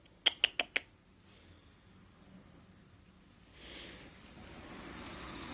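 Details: Pomeranian puppy named Hime gives four short, sharp, high yips in quick succession within the first second, then falls silent. Only a faint indoor hiss follows.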